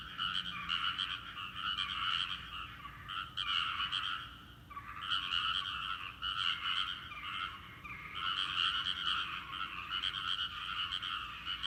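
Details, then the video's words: Frogs calling together in a rice paddy, a chorus that falls silent when a person comes near and then slowly starts again; here dense croaking swells in bursts of a few seconds separated by short quieter gaps. "カエルの合唱！】季節の風物詩、カエルの鳴き声 人の気配でピタリと止んで"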